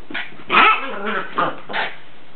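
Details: Pet dog playing with a soccer ball, giving a few short, rough barks and growly vocalizations spread across a couple of seconds, with one louder burst near the middle.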